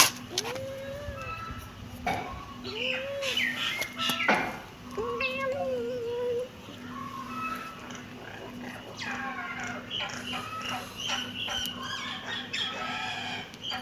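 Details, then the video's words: Kitten meowing indoors: short, arched, high-pitched meows repeated every one to two seconds, rising then falling, with a steady low hum and scattered clicks and rustling behind. "cute kitten meowing"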